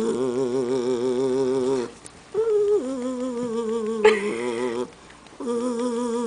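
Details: Jackshund dog crying and growling at his granny indoors, a temperamental pet: long, wavering, moaning tones that drop after about two seconds, then resume in shorter held notes with quiet gaps between them.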